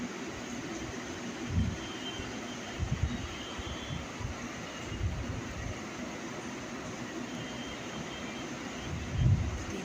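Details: Low vehicle rumble dominates, with a few soft thumps and faint distant voices, and no animal sound can be picked out.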